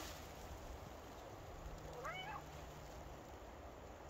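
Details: Maine Coon cat Buster out walking in a forest on a spring day gives one short meow that rises and then falls, heard faintly over a steady hiss of outdoor background noise.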